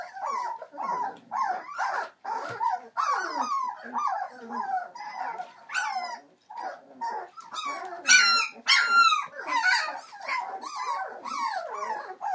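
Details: Squeaky whimpers and high yips from 21-day-old Entlebucher Mountain Dog puppies, litter born 28 December 2013 to Aisha Princess of Beauty (Shadow) and Falk vom Kornried, several pups crying at once, with a few sharper, piercing cries near the end.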